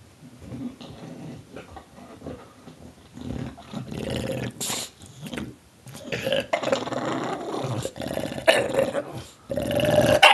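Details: Tulip the bulldog growls, snarls and makes gobbling noises like a turkey indoors; rough, broken guttural bursts come in rapid uneven runs, growing louder toward the end, with sharp snorts between.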